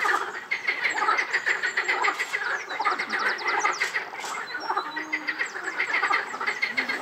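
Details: Frog chorus at Rainham Marshes, a continuous chatter of overlapping croaks and rattles, with a short run of quick repeated high notes and a few lower drawn-out calls breaking through.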